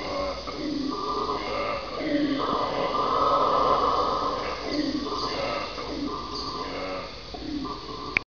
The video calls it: Red Howler Monkey - Sound only.AVI